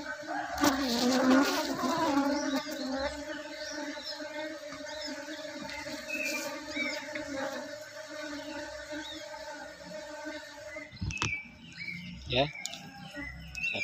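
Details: Honey bees in a managed colony during drone-reduction work: a steady droning hum in stacked tones runs through most of the recording, with a scratchy burst near the start and sharp knocks and handling noises toward the end.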